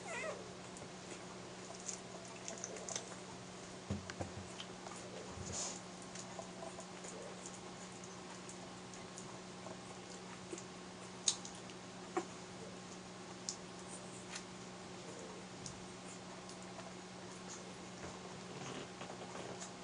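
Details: One-week-old Airedale Terrier puppies of the J litter, active and suckling milk from their mother indoors; soft, high mewing squeaks come scattered through the clip over a steady low hum, with small clicks and rustles.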